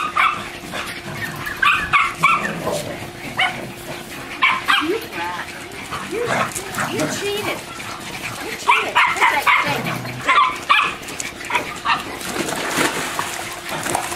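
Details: Two German Shorthaired Pointers, a female and a male, give short barks and yips among people's voices while playing, swimming and retrieving in and around a pool.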